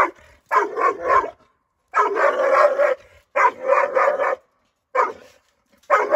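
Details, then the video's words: Female Dogo Argentino, nine months old, reacting aggressively to strangers with clustered bursts of gruff, rapid barks, three or four quick pulses per burst, separated by brief silences. "Nine months Dogo Argentino female agressive behavior with strangers."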